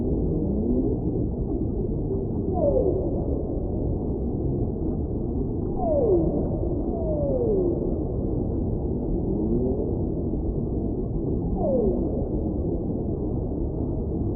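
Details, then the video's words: Repeated whale song phrases: sharp falling whoops paired with softer rising tones, recurring about every three seconds against a dense, hissing low-frequency sea noise. "Whale Sounds"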